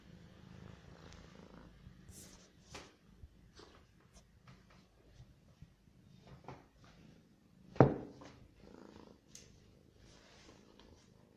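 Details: Low continuous purring from a hungry cat as it eats, overlaid with soft irregular chewing clicks and one sudden loud knock midway.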